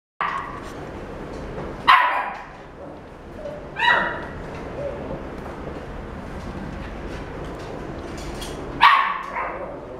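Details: Male white Maltese born 2 March 2017, kept at a pet shop; three short sharp barks spaced several seconds apart over a steady background hum.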